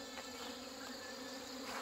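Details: Honey bees from colonies hit by hornets and by failed queen mating, being combined by a beekeeper on a Chuseok holiday morning in Korea: a steady, dense, low droning hum of many bees, with faint high hiss throughout.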